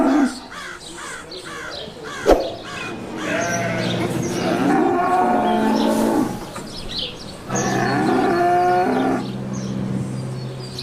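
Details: Calf giving two long, wavering moos, each about two to three seconds, separated by a pause. A sharp knock is heard early, and repeated bird chirps sound in the background.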